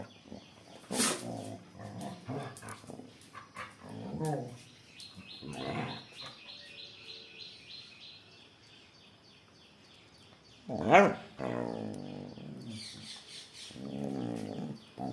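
Miniature Pinscher giving sharp, harsh barks and growly yaps in uneven bursts, with another dog joining in.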